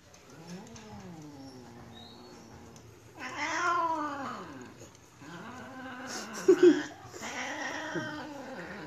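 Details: Two male cats courting one female during mating, giving long wavering caterwauls that rise and fall in pitch, one yowl after another, with a louder drawn-out wail in the middle and a brief sharp squeal near the end.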